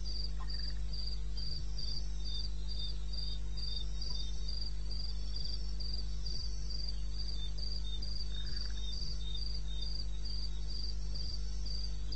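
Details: Cricket recorded in eastern Botswana wilderness, 02:30 at night in May: a long, very regular run of high, thin chirps, close to four per second, above a persistent low-frequency hum.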